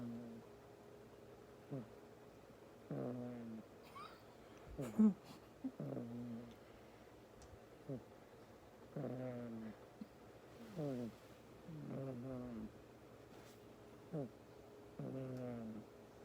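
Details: Sleeping male pet cat, very tired, snoring: a steady series of brief, buzzy, low-pitched snorts, each with a slightly falling tone, repeated about every one to two seconds, with a couple of soft clicks in a quiet room.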